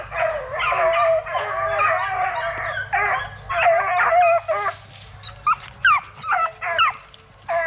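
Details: Plott Tan pups, a cross of Plott hound and black and tan coonhound, between 8 weeks and 5 months. Drawn-out wavering howls from more than one pup give way after about five seconds to short, sharp separate yips.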